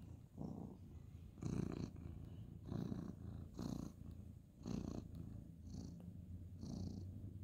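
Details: Male ginger tabby cat being petted at bedtime on a bed indoors, 2/11/2023; a deep, low purr runs throughout, broken by brief breathy bursts and rustling from the petting hand.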